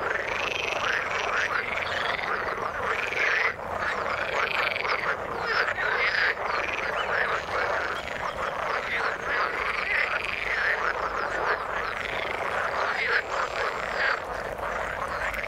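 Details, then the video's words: Frogs in the water calling together: a thick, continuous chorus of croaking, with looping rising-then-falling notes repeating about once a second over a rattling mass of overlapping voices, no break in the sound. "Frog sound in the water"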